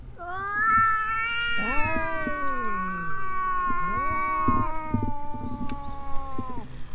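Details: Stray cats on the verge of a fight give a loud, drawn-out yowl, harmonically rich and wavering, swelling and dipping in pitch for about six seconds with a second voice joining, above a low rumbling background.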